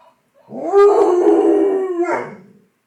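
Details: Howl of a 10-month-old fox red Labrador Retriever puppy answering a toy that makes animal sounds: a single sustained, steady-pitched, mournful note lasting about a second and a half, ending with a brief upward lift.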